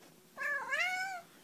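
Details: Domestic cat saying hello: one clear, tonal meow of under a second that rises and then falls gently, in a quiet room with a person calling hello nearby.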